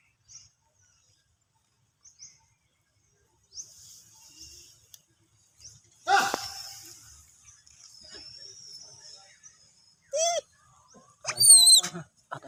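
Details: A loud human cough bursts out, and a baby monkey at Angkor Wat answers with short, high, quavering screams in quick bursts, frightened by the cough.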